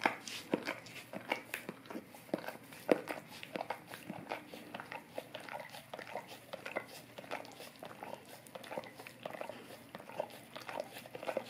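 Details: Close, crisp licking by a Golden Retriever on an Orapup tongue cleaning brush: wet tongue slaps and faint crunchy clicks follow one another unevenly in a small room.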